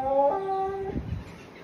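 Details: Siberian Husky howling like a wolf in response to a peacock sound: a brief tonal howl that holds steady, then steps down in pitch and breaks off after about a second, with some background noise.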